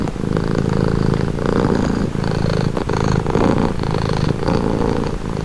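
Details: Close, continuous purring of a pet cat: deep pulsing rumble holding an even level throughout, with slight breathy rises and falls.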